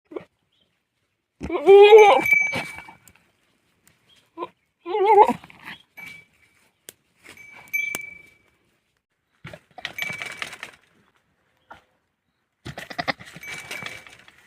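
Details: Male goat on a farm, showing unusual behaviour; two loud, wavering, harmonic bleats near the start, then softer, shorter bleats and bursts of breathy noise spaced over the rest, with a faint steady high tone.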